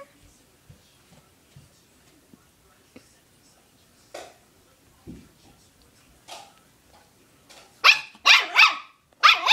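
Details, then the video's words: Young puppy barking loudly at his chew toy indoors: quiet scuffles first, then a burst of three sharp, high barks near the end, with a person coaxing beforehand. "barking at his chew toy"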